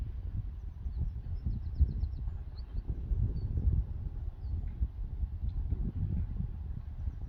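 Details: Hooves of young Friesian horses on a drying meadow after rain, out at pasture again and enjoying it; dull, low thumps in an uneven rhythm over a windy rumble, with a few faint high bird chirps early and midway.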